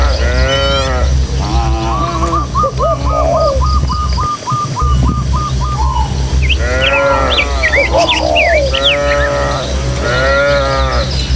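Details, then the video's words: Herd of tame village cattle passing through rural hills on the way to their pen, lowing in several long, rising-then-falling moos, while a bird repeats a quick even note series and others chirp. "Suara Sapi"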